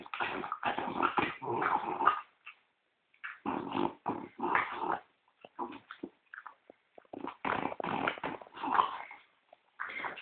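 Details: Pet French bulldog, said to snore like a human or louder, lying as if asleep indoors. Raspy, rumbling snorts come in irregular bursts of half a second to a second, separated by short silent pauses.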